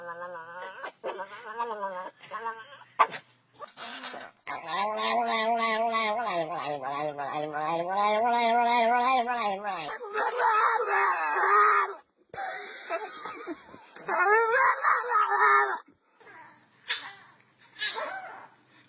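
Dogs making odd, wavering howls and moaning, voice-like noises, with rising and falling pitch.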